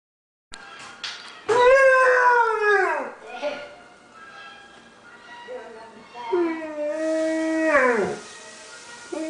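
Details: Shiro, a pet Afghan Hound, singing along when music plays: two long, loud harmonic howls, each rising briefly then sliding downward into a falling wail, separated by a quieter lower moan.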